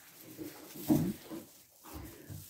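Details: Goat with her newborn kid at a goat farm in Pori, two-day-old kids nearby practising climbing on steps; a low, throaty grunting murmur peaks midway, followed by softer rumbling grunts, with rustling and movement noise.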